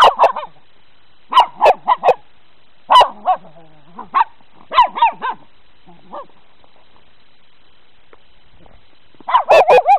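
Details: Pet dogs meeting snow for the first time: clustered bursts of three or four quick, sharp barks, then a long quiet stretch before a final rapid volley at the end.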